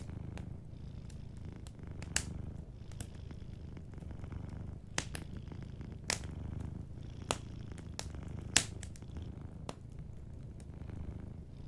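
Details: Sleeping cat by a fireplace, purring low and steadily in soft breathing waves, while frequent sharp crackles and pops from the fire punctuate the rumble every second or two.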